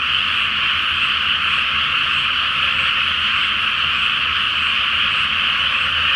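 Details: Frog chorus at night under a full moon in a flooded rice paddy before rice planting, Japan: a dense, continuous wall of overlapping croaks filling the air without pause, steady in loudness throughout.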